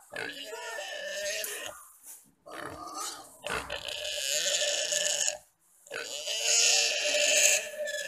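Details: Wild boar on Komodo Island, attacked and eaten alive by three Komodo dragons and filmed by a guide, gives loud, harsh squeals in long bursts broken by short silent gaps.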